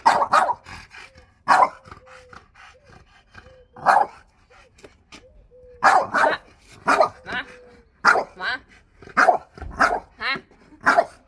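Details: A pet French Bulldog protests to his owner over his chair with a long run of rough barks and yaps. High, drawn-out whines rise and fall between the bursts, and the barks grow quicker toward the end.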